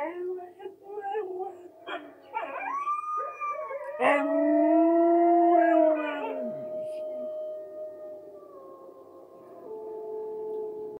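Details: Siberian husky howling in response to wolves heard on TV: rising then long sustained wavering tones with rich harmonics, the strongest howl around four to six seconds, fading into a lower drawn-out tone; earlier shorter yelping calls.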